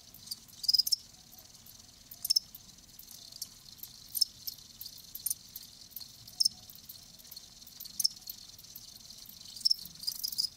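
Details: Live crickets giving sparse, high, clipped chirps roughly every one to two seconds over a soft, hissing background, with quiet gaps between the bursts.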